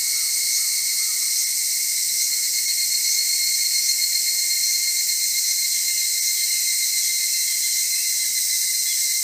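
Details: At Atarashiki-mura in Japan, evening cicadas keep up an unbroken, shrill buzzing hum with steady high ringing bands and faint softer insect notes beneath.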